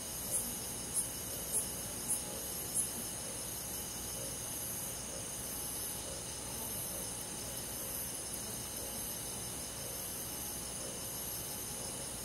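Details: Cricket on a summer night in a rural forest, five high, sharp chirps about half a second apart in the first three seconds, then only a steady high insect hum for the rest.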